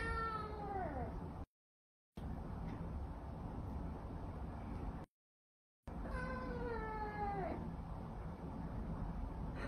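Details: Pet cat giving two long, falling meows separated by gaps of silence, each sliding downward from a higher start, with a steady low background hum throughout.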